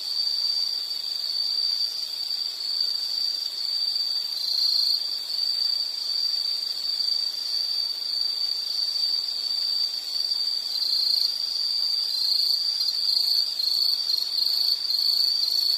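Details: Continuous shrill insect trill, a single high ringing tone sustained without pause for the full length, wavering slightly in strength near the end, over a soft background hiss.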